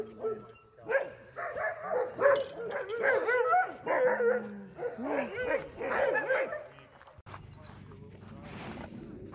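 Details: Friendly sled dogs in Alaska greeting a visitor, giving an excited string of whining yelps and rising-falling howly whimpers, several overlapping, before the calls fade into rustling background noise.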